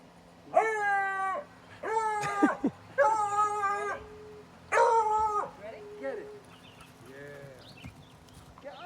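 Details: A beagle playing fetch gives a series of drawn-out, wavering howls, each about a second long, with brief pauses between, recorded July 2020.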